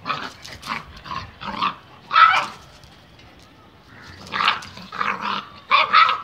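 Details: A Bullmastiff and a Labrador fighting. Their harsh snarling barks and growls come in loud clustered bursts, then pause briefly before another round of rough, rapid barking.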